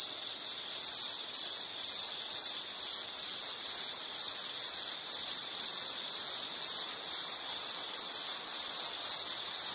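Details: High-pitched insect call used as a soothing nature sound, pulsed into short rapid chirps about twice per second with brief dips in loudness, overlapping layers of higher buzzing.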